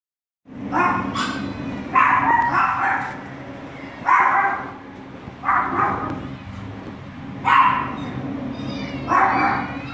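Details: Two Border Collie puppies on their first day at a shelter, giving bright barks and yips in bursts about every two seconds over a steady low hum of background noise.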